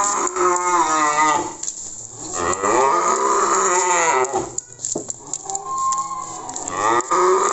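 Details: Cattle being delivered to Magelang, Indonesia, with Simmental and Limousin breeds noted, utter a run of rising and falling moos, loud and harmonic-rich, broken by short pauses and faint knocks.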